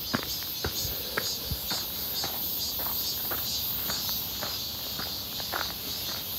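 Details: A dense cicada chorus drones high and shrill on a clear, hot midsummer day (1 August 2023) near Seonbawi rock during a walk, swelling in soft pulses about twice a second, with footsteps crunching and tapping underneath.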